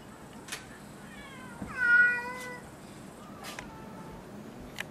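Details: Cat at Gotanjoji, the so-called cat temple, giving one loud, long meow that swells and bends downward, followed by a softer, shorter, flatter meow, with faint clicks and a quiet background.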